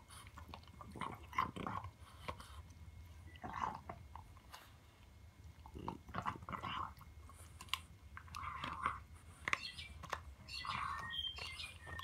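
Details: A French Bulldog puppy gnaws a pig trotter treat in a small room: wet crunching and biting in clustered bursts every second or two, with brief lulls between bouts and a steady low hum underneath.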